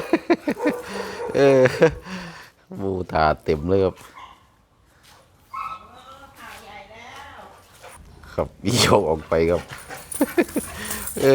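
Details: Red-nose American Pit Bull Terrier, a mother with her puppies: short bursts of harmonic, yelping barks clustered in the first four seconds, then quieter mixed voices and another loud burst near nine seconds, with men talking and music.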